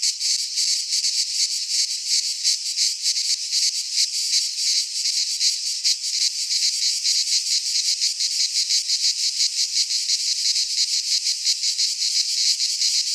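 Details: Greek cicadas in a pine forest in midsummer fill the air with an unbroken, shrill, high-pitched buzzing, softly flickering in loudness, no other animals or voices.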